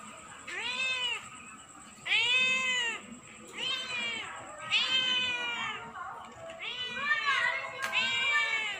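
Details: Cat that turns up night after night and keeps meowing: six whiny, arched meows come roughly every second or so. A steady thin high-pitched whine runs underneath the whole time.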